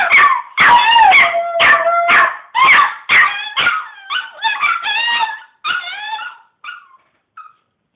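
A Chihuahua and a Pomeranian howl together, their high voices sliding up and down in overlapping wails broken by short yips. The howls gradually weaken and trail off into a few brief, fading notes.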